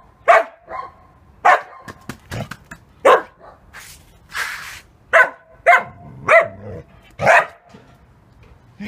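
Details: Male Samoyed aged seven and a half months barking to get his owner to play: about seven sharp, loud barks in irregular bursts, with quieter huffs and whines in between, indoors.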